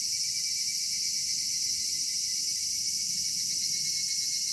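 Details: Summer-evening chorus of cicadas in a Japanese cedar forest, an unbroken high shimmering whine with a thin whistled tone riding above it, constant in loudness, over a soft low background hum.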